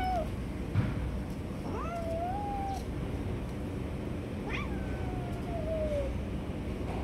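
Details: Stray cats jumping and snatching food from each other; several drawn-out meows, some level and some sliding downward, spaced across the stretch over a steady low rumble of background noise.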